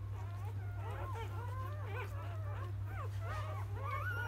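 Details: Newborn Labrador Retriever puppies of a field-type line, a litter of eight just born: thin, wavering squeaks and whines, rising and falling, overlapping from several pups, over a steady low hum.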